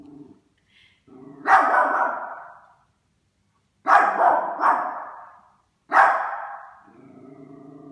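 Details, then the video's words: Yorkshire Terrier indoors barking at a Christmas stocking: loud, harsh, sharp barks, a single one, then a quick pair, then another, with soft low growly rumbling between bursts. "Yorkie barks at Christmas stocking pt. 2"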